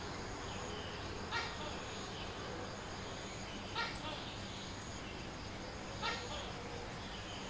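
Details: Tokay gecko calling at dawn in Sanur, Bali, recorded by a fixed camera; three loud, abrupt barking notes roughly every two and a half seconds over a constant insect hiss and a thin high whine.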